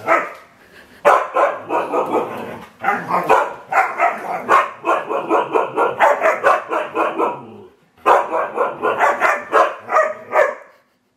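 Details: A rapid, rhythmic string of short harmonic barks and yips from Domi, the four-year-old rescued husky mix in a new home, pulsing several times a second with a brief pause near the end.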